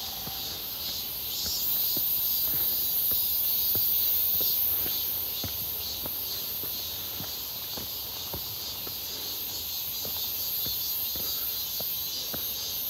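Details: Cicadas near Seonbawi on a clear, hot midsummer day, 1 August 2023, grown noticeably more numerous along a walking route; a dense, steady high-pitched buzzing drone fills the air while footsteps tick regularly underneath.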